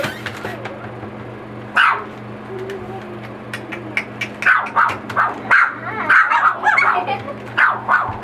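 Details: Boxer puppies, four weeks old, at play with children, giving quick high yips in a loose burst, about eight sharp yelps crowding the second half, with a low whimper between them and a constant background hum.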